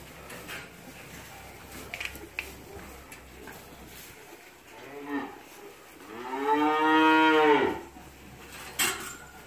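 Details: Cattle on a new farm near Kičevo, Lisičani, recorded 9 August 2017: after a quiet stretch with faint knocks, one long harmonic moo swells and falls over about two seconds, followed by a short clatter.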